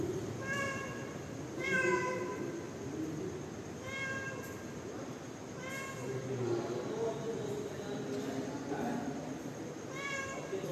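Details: Mother cat calling her kittens: short rising meows repeated every couple of seconds, thin and clear, over steady broadband background noise with a faint high whine.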